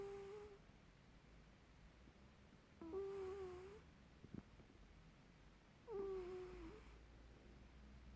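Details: Squeaky snoring from Lulu, a house cat in Perth, Western Australia: a high whistled squeak on each breath, repeated roughly every three seconds, slightly wavering, with a faint low room hum beneath.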